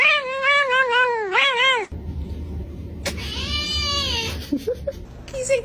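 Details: Cat making a strange sound: two loud, wavering meows, the first long and quavering with several wobbles in pitch, the second higher and arched, followed by a noisy stretch with faint short squeaks.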